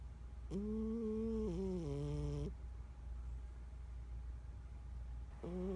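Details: Sleeping 14-year-old house cat named Bella Rue Rue gives a long, tonal, droning snore lasting two seconds, its pitch sagging in steps, then a quiet pause before the next breath's snore begins about five seconds later; low room hum underneath.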